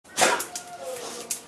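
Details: A dog lets out one short, harsh bark, then a thin tonal note that slides gently downward and fades over the following second.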